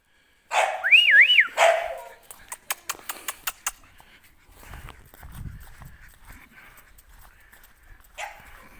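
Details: English Bulldog puppies at a breeding kennel; one wavering high whine that rises and falls twice, then a quick series of sharp clicks, fading into quiet murmuring and a final short squeal.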